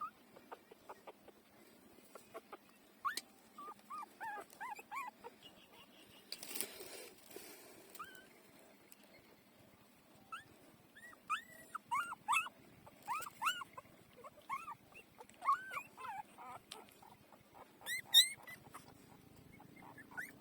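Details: Four-day-old puppies feeding at their mother's teats, several pups squeaking: short, high, arched whimpers and squeals in scattered clusters, denser in the second half, with soft clicking and suckling noises and a brief rustling burst early on.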